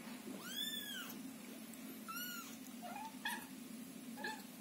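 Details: Loud calling from Scottish Fold and Scottish Straight kittens kept in a box during cleaning of their house, their mother close by soothing them. A few clear, high, arched meows come roughly a second apart, the last ones shorter and lower.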